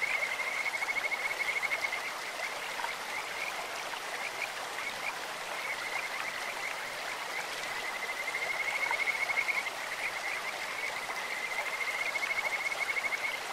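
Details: Kajika frog calling in a clear mountain stream: thin, high, bird-like trilled notes that run on almost without break, swelling near the start and again toward the end, over a steady hiss of rushing water.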